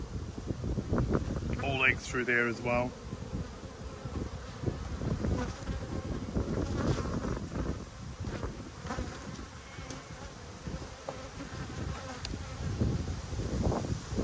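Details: Busy low buzzing of honey bees during a hive inspection with a newly mated queen, 19/3/22; constant dense hum with rapid handling clicks, a brief higher tonal squeal around two seconds.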